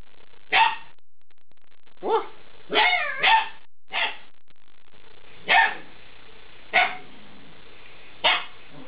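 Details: Eight-week-old Alaskan Malamute puppies giving short, sharp barks and yips, about seven separate bursts spaced irregularly over nine seconds, with quiet indoor background between calls.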